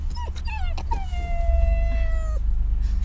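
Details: Rottweiler puppy, in its first months, whining while getting used to riding in a car: a drawn-out, steady, thin whistling note after a few short rising yelps, over a constant low engine rumble.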